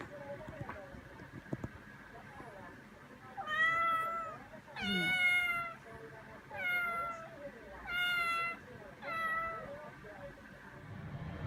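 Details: Eva, a talkative silver-and-white tabby young cat aged between three and ten months, gives five harmonic, slightly falling meows about every one and a half seconds, with soft human voices in the background.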